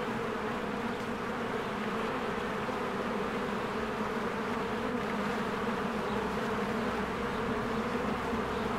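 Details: Honeybees busy at their hive in springtime, captured with a Canon EOS R; a thick, unbroken droning hum that stays level throughout, with the buzz of many wings blending into one mass.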